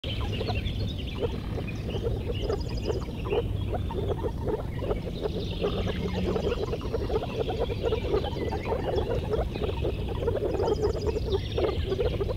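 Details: A blue frog in water croaking: a dense run of short, low, throaty pulses repeated several times a second without pause, with faint high chirps drifting in now and then.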